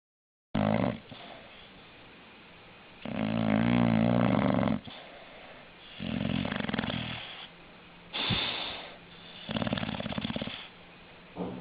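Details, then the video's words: An English Bulldog snoring: loud rasping breaths in bursts about one to two seconds long, some with a rattling, vibrating low tone, separated by quieter pauses, in a small indoor room. "Funny snoring english bulldog"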